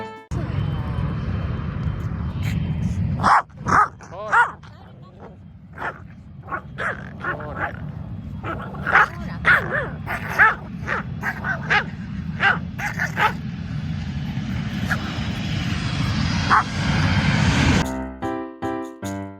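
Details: Two female Chihuahuas, aged 12 and 9, at Itami Airport in Osaka, Japan, watching planes. They give sharp, repeated barks in irregular bursts over a deep, steady rumble, with faint speech and a brief musical jingle at the end.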